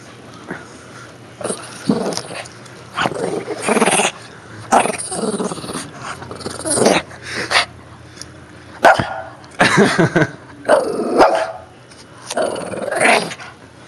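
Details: Shih Tzu playing roughly with a toy whale; repeated bursts of throaty growling and snarling, each lasting about a second, separated by short pauses, with the owner speaking nearby.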